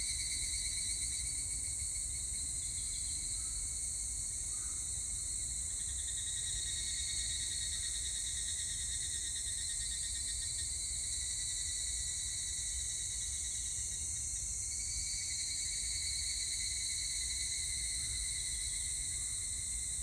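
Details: Shrill, sustained droning of higurashi cicadas on 25 July 2019, several overlapping ringing tones that waver and swap in strength around the midpoint and again near fifteen seconds, with low rumble beneath.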